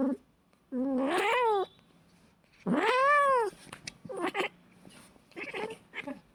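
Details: Cats fighting: two long, loud, wavering yowls rising and falling in pitch, the second arching up then down, followed by shorter broken growl-like cries near the end.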